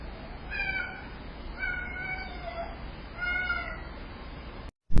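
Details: Domestic cat giving three drawn-out, tonal meows about a second and a half apart, each bending in pitch, over a steady hiss of background noise, ending in a sharp click.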